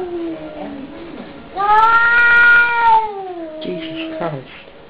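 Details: Cat at the door after fighting a neighbour's cat, moaning low then bursting into a loud, sustained nasal yowl lasting over a second before sinking into a lower drawn-out wail, with brief rustling.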